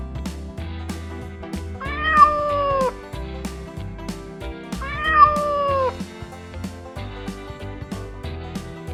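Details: Domestic cat meowing twice, each a drawn-out falling meow about three seconds apart, over steady backing music with percussive beats.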